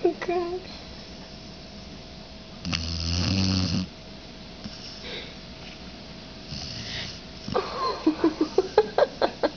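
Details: Cooper the dog naps after a trip to the dog park, snoring. A rough, low, rasping snore swells for about a second midway, and a run of quick, sharp snorts at the end repeats about twice a second in a quiet room.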